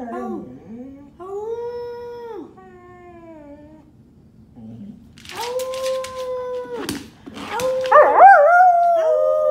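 An English Springer Spaniel howls in long, wavering tones that rise and fall, alongside a person's voice.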